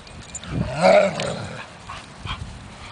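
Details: Two German Shepherds playing tug of war on a leash; a single drawn-out, rising then falling harmonic bark-yelp near the one-second mark, followed by quieter scuffling and faint rustling.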